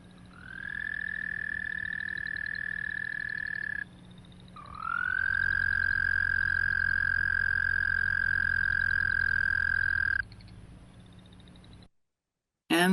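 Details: Recorded Canadian toad producing two long, loud, monotone trills, the first about three seconds, the second about five and a half seconds, starting slightly lower and rising before holding steady. A brief different sound comes at the very end.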